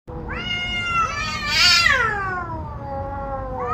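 A domestic cat gives a long, drawn-out meow that rises, wavers, then slides downward.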